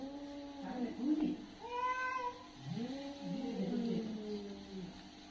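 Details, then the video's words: Aggressive cat in a fight, drawn-out wavering yowls overlapping one another, with a short high-pitched screech in the middle and a rising, moaning growl afterwards; faint background hum. "Angry cat sound। cat fight sound effect। aggressive cat sound"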